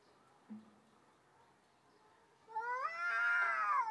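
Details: Stray cats facing off before a fight; after a quiet start with a brief low thump, one loud rising-then-sustained caterwaul with rich harmonics builds and holds for over a second.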